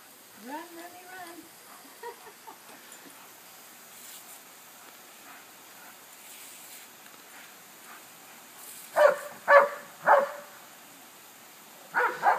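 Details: Remy, a dog chasing the yard sprinkler from head to head on Saturday, April 14th, lets out three sharp barks about a second apart, then two more. Brief human voices and a long quiet stretch come before them.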